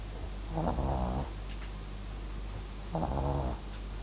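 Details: A sleeping Papillon and Japanese Chin mix dog snoring indoors: two rough, low rasping snores about two and a half seconds apart, each lasting under a second, over a quiet steady background hum.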